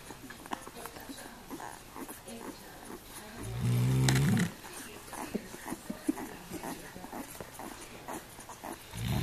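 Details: A female Weimaraner, fallen fast asleep while nursing her 7 puppies, gives a single deep, droning snore amid soft rustling and faint clicks.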